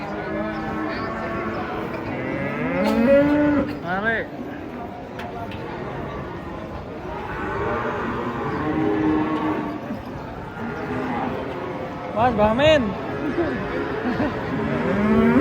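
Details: Large cattle unloaded from a truck call repeatedly, with short wavering moos and rising, bending bellows from more than one animal amid busy background noise and occasional thumps.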